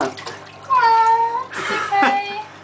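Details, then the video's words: Baxter, a domestic cat, cries during a flea bath he plainly dislikes: two drawn-out, harmonic meows, the first slightly falling, with sloshing water and a soothing human voice around them. "Cat Cries While Getting Flea Bath"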